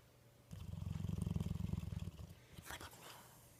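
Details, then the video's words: Dog snoring: a low, rattling, pulsed rumble lasting about a second and a half, fluttering rapidly, then fading, followed by a brief breathy rustle. "Funny snoring dog"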